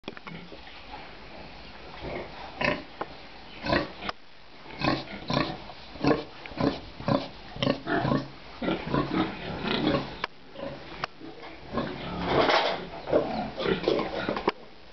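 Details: Pigs on a rearing farm in Nepal, a busy pen of short, harsh grunts and squeals in quick irregular bursts, several animals overlapping, with faint human voices beneath.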